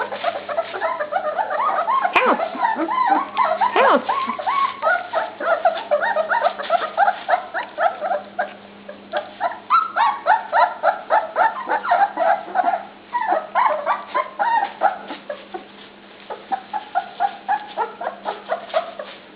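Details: Dog pups at dinnertime, a crowded chorus of short, high yips and whining squeals overlapping in quick succession, several puppies calling at once with a steady faint hum underneath.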